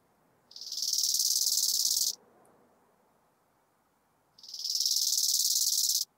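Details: Bow-winged grasshopper singing near Hanfeld, Germany, on 19 September 2021: two rasping, finely pulsed high-pitched phrases, each swelling in over a moment and lasting about one and a half seconds, separated by a two-second pause, in otherwise quiet surroundings.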